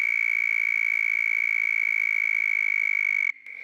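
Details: A male southern toad calls in the background during mating season, a loud, high, steady trill that carries on without a break, made with his vocal sac to attract females.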